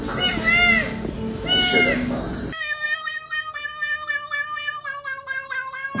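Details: Cat giving two arched, rising-then-falling meows over a noisy room, followed abruptly by a steady, tonal, music-like passage with wavering sustained notes.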